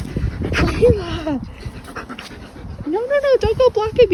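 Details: German Shepherd puppies playing as a pack, Dodger and Arial especially vocal: two rising-and-falling whining yelps with rich harmonics, the second a wavering, drawn-out cry, over panting, with human speech in between.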